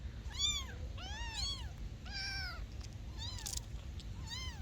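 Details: Kittens giving shrill, arched meows one after another, roughly one per second, some calls overlapping, with a steady low hum underneath.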